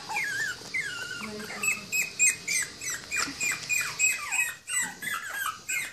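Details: Three young Toy Poodle and Pomeranian pups, a female and two males, give overlapping high whines that drop steeply in pitch, repeated rapidly in pulsing waves of rising and falling loudness.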